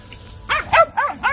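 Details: Grouchy old Beagle giving four short, hoarse, arching barks in rapid succession, about one every quarter second, after a faint quiet start.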